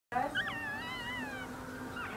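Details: Puppies whining: a thin, high, drawn-out whimper that wavers and slowly falls in pitch, followed by a shorter faint whine at the end.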